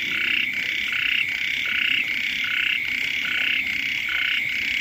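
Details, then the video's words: Several frogs croaking near a home just after the rains begin, their calls overlapping into a thick, buzzy chorus that swells and dips in pulses under a constant high-pitched background tone. "เสียง กบ เขียด ร้อง อยู่แคมบ้าน"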